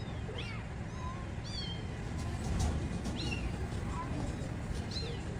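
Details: Mother cat rescuing her kittens: several high-pitched, arching meows spaced about a second apart, with a brief low thump midway, all over a constant deep rumbling background.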